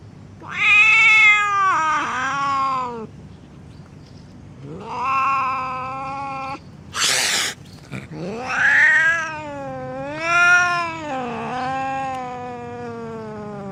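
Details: Angry cat giving repeated loud, harsh yowls, each a long bending wail rising and falling in pitch, with short gaps and one brief hissing burst between them.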